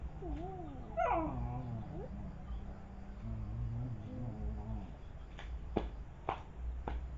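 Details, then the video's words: Village dogs (anjing kampung) fighting: wavering, harmonic whining yelps and low drawn-out growl-like tones fill the first five seconds, then give way to a few sharp knocks or clicks. "anjing kampung brantem"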